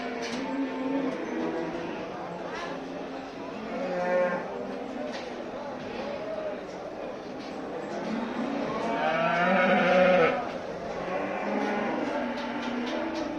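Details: A herd of Simmental cattle in Turkey moos repeatedly, with several overlapping calls of varying pitch, a louder drawn-out moo around the middle, and human voices and music in the background.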